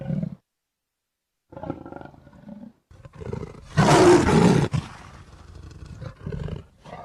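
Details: Leopard roar in bursts: short low grunts and growls first, then a loud, harsh, wide-band snarling roar lasting about a second, followed by quieter rumbling growls.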